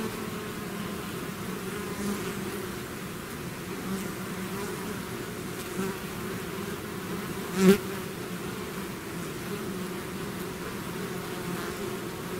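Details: Bees in a swarm out of their hive create an even, low droning buzz; a single bee zooms loudly past the microphone near eight seconds.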